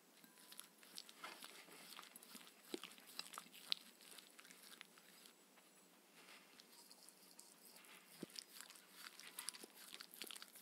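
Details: Crunchy chewing from Mindy, a pet Shetland Sheepdog, at her evening raw kangaroo meal with coconut oil; sharp bites and scattered crackles rise and fall in uneven clusters, quieter in the middle stretch, no voices.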